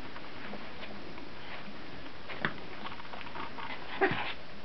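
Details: Fourteen-day-old puppies indoors give a couple of brief, faint whimpering yips, one near the middle and one near the end, over soft sniffing and rustling in a small quiet room.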